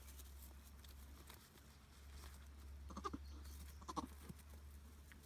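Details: Three two-day-old Nigerian Dwarf goat kids, babies of the mother goat Charlotte at Deep Canyon Farm, giving two short, thin bleats about a second apart near the middle, over a steady low hum and light rustling.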